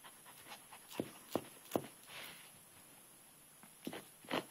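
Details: Twitch, a pet dog, barks outdoors in the rain at an old rock in a flower bed, jumping back and forth and circling it. Three short sharp barks come about half a second apart, then two more closer to the end.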